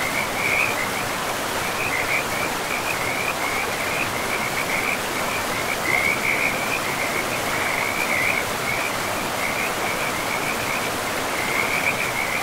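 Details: Frogs by a river in a pristine, moss-covered forest give a steady run of short, high, pulsed trills that repeat almost without pause, set over the constant rushing hiss of flowing water.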